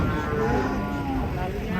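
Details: Sacrificial cattle for Qurban, rampaging as they are unloaded from a truck: a steady, drawn-out low moo with rich harmonics lasting nearly two seconds, with a background hum of voices.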